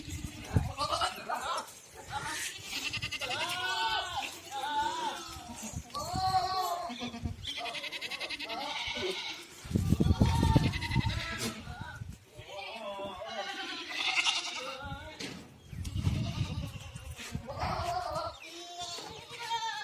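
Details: Herd of goats on a farm in Ajmer, Rajasthan calling almost continuously, many quavering, rising-and-falling bleats overlapping in a dense chorus, with low rumbling thumps around the middle and people talking underneath.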